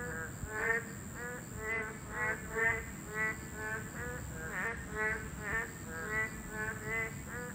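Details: Chorus of boreal digging frogs at a breeding site, a class 2 protected species. Several frogs give nasal, twangy croaks, some in quick pairs, spaced irregularly under a constant faint high whine.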